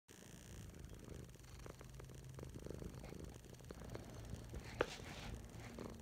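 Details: Domestic cat purring while lying on its owner's chest indoors; soft, low continuous rumble in steady pulses, quiet throughout, with a few faint clicks and rustles.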